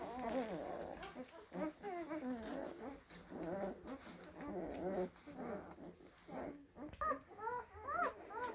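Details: Young blue Great Dane puppies, born April 2023, whimper almost continuously. Many short, arched, whiny cries overlap from several pups, with sharper high squeaks near the end.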